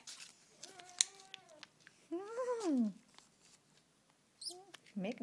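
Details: Hungry Siamese and Havana cats at feeding time indoors, meowing repeatedly: drawn-out, arching meows, one loud and falling in pitch, followed by shorter calls, with a person talking nearby.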